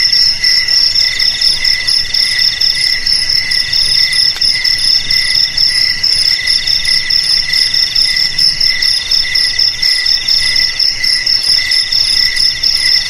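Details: Dense cricket chorus: steady high-pitched trilling in two stacked bands, one shrill and one lower, with pulses running unbroken through the whole stretch and faint hiss beneath.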